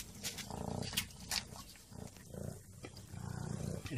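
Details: Mother cat purring up close, a low pulsing rumble that comes in three swelling bursts with breathy, noisy pauses between them.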